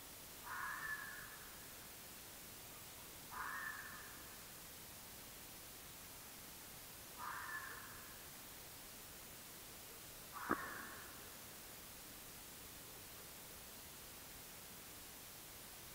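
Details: Red fox captured on an AudioMoth field recorder, evening of 9 March 2024; four rasping, bark-like calls spaced roughly three seconds apart, the last with a sharp click, over quiet steady hiss.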